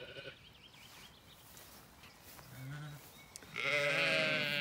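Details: Zwartbles ewes kept dry under a horse chestnut tree in the rain on a County Kilkenny farm in Ireland; a loud, bright, quavering bleat at the end, preceded by fainter murmurs and light background noise.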